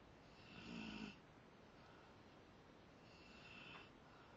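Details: Two snores from a sleeping Rottweiler: a louder, rasping inhale with a low grumbling buzz, then a softer, airier one about two and a half seconds later, in a quiet room.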